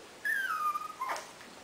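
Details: A 5-month-old Pomeranian, asked in Italian whether it wants to eat, answers with a high, drawn-out whine that slides downward, ending in a short yip, as if saying yes.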